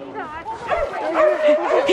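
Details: Four-month-old Alaskan Malamute puppy Fish on his first run with a sled dog team in Larose Forest, Ontario, Canada; excited, whining yips and short barks rise and fall over people talking nearby.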